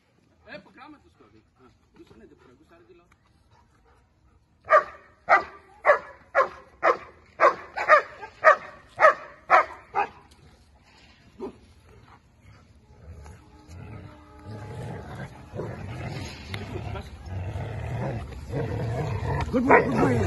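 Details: German Shepherd during bite work training, a run of about ten loud, sharp barks at roughly one-second intervals, followed by a handler's praise and commands, then rising scuffling and rustling noise.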